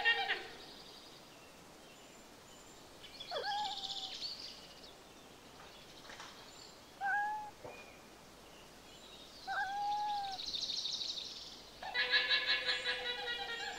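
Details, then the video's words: A domestic cat gives several short, falling meows spaced a few seconds apart, with a constant background hiss and bursts of other buzzy, pulsing animal calls. "Animals sounds, animal video: cow, cat, squirrel, aquarium fish, seagull, duck, snake, parrot"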